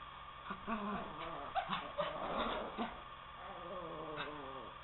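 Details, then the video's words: Two poodles wrestling on a couch, one urging the other to get down and play: rumbling, wavering growls and whiny grumbles in short bursts, with a few sharp yips and soft scuffling. "Poodles Wrestle"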